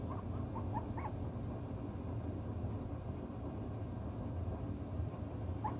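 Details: Six-week-old chocolate brown Toy Poodle puppies at play, settling their pecking order; a cluster of short, high whimpers and yips comes in the first second, then mostly low background hum with one more brief yelp at the end.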